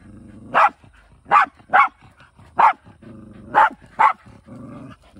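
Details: Shiba Inu hunting near a country home, six clipped barks spaced unevenly over five seconds, with a quiet low whine running beneath.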